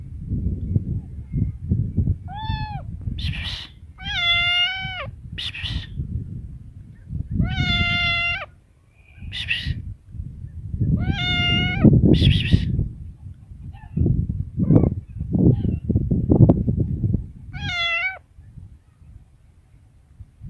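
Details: Cat meowing repeatedly, about six short wavering meows spread across twenty seconds, mixed with breathy hissing bursts and low rumbling background noises.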